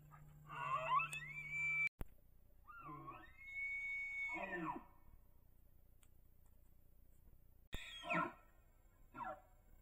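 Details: Rutting bull elk on Idaho public land, chasing cow elk and filmed by a cell trail camera, gives several high, sustained whistled bugles. They rise, hold steady, then drop into raspy grunts, with short chuckle-like bursts near the end amid quiet pauses.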